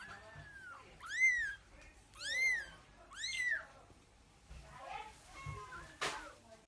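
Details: Kittens mewing: three loud, arched mews rise and fall about a second apart, each rich in harmonics, then softer, fainter mews follow, ending with a sharp click.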